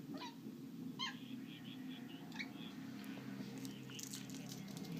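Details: Bengal cat named Simba at play indoors, giving two short, bright chirping calls near the start and further faint high chirps, over a steady low electrical hum while a man calls its name.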